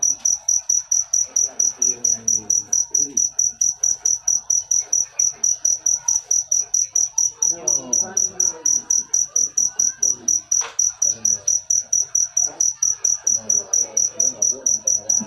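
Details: Cricket chirping in a steady, high-pitched run of short pulses, a little over two per second, with a faint murmur of lower voices or music underneath and one brief louder knock near the middle.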